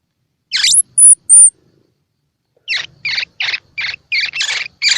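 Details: Baby squirrel calls used to stimulate baby squirrels, eyes open or still closed, to feed: three very high thin squeaks, then a short pause and a run of rapid raspy chirps about three per second.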